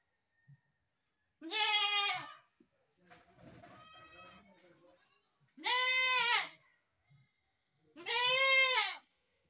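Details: Goat calling three times with long, tremulous bleats roughly every three seconds, a softer rustling bleat-like sound between the first two.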